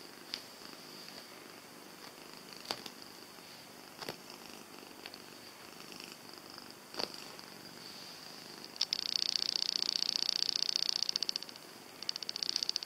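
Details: Jessie, a domestic cat, purring with a steady, rhythmic pulsing that grows noticeably louder and denser for a couple of seconds near the end, with a few faint clicks scattered through.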